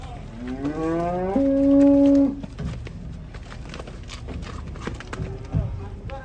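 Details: Cattle in a group being transported on a truck give a long, low moo lasting about two seconds. It rises at first and then holds steady. Afterwards come fainter rumbling sounds and background noise.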